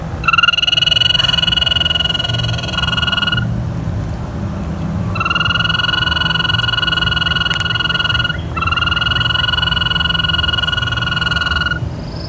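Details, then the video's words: In spring at a pond at Lake Anna State Park, American toads give long, soft, musical trills, each held steadily for several seconds, singing to mark territory and attract a mate. "Toads trill."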